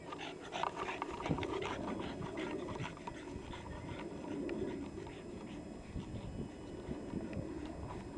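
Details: A Boston Terrier bowling a basketball around pants in quick, rough bursts throughout, with scuffing and thumps from play over a steady background hum.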